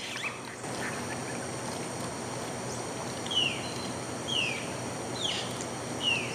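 A tapir gives four short, shrill whistles, each sliding downward like squealing brakes, about a second apart, over a steady hiss of background noise.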